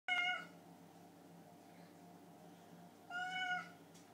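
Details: Hungry house cats meowing after their owner stayed late at work: two clear, tonal meows about three seconds apart, the second slightly longer and gently falling, over a faint steady low hum indoors.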